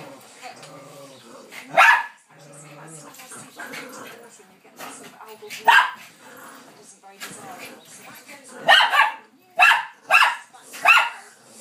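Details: Bichon Frise and Lowchen dogs Tallulah, Evie and Harry play wildly on a settee during a mad five minutes. Scattered sharp barks and yips are heard, ending in a run of four quick barks, with human speech mixed in.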